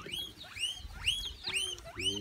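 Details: Many guinea pigs together at a petting zoo in Sodegaura, Chiba, Japan: a run of thin, high whistled squeaks, each sliding upward, repeated roughly every half second.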